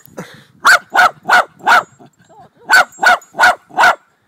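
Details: Jack Russell Terrier barking, recorded 26 July 2009. Two bursts of four sharp, loud barks each, roughly three barks a second, separated by a short quiet pause with a faint whine.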